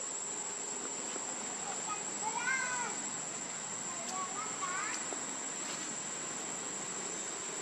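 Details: Baby monkey Leo, hungry and begging its mother for milk, gives two short wavering whimpering cries, the second softer and rising, over a constant shrill insect drone.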